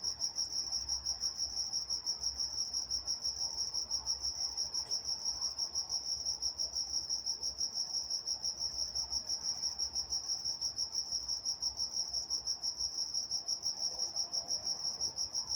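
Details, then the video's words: Crickets at night in Walnut, California, chirping in a continuous shrill high band that pulses regularly, roughly once a second in broader swells, with a faint higher overtone and very little else heard. "Nature Sounds Night Time Crickets in Walnut, California"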